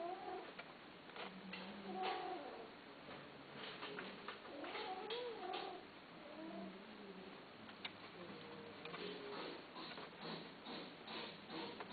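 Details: Cats offered for sale, giving a few short, wavering meows around the second and fifth seconds, with rustling, tapping and faint indoor clatter between calls and a low murmur of voices.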